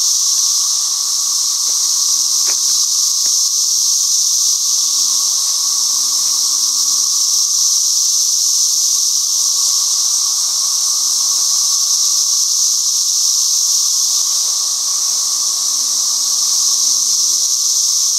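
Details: Many cicadas near the holes where they come out of the ground, called very loud: a steady, unbroken high-pitched hiss-like drone with a fainter lower hum underneath, holding level throughout with a few faint clicks.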